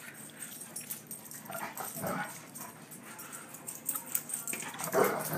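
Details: Two dogs at play, the big Sandy and the little Dottie, trading short throaty growls and grumbles in separate bursts, with a louder snarl near the end over a background of scuffles and paw clicks.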